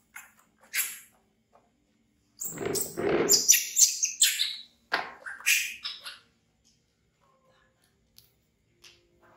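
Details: Frightened young monkey Bean shrieking as it flees from a crocodile to hug a chair, a dense run of piercing, chattering screams lasting about four seconds, then near silence with faint soft clicks.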